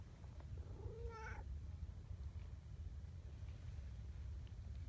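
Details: Gentle, affectionate female tabby community cat gives one short meow, rising and then levelling off, over a low, steady background rumble.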